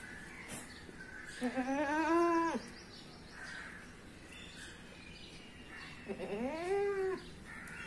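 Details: Goat bleating twice, about four and a half seconds apart; each cry is rough and wavering, rising then sagging in pitch and lasting around a second, over a soft steady background hiss.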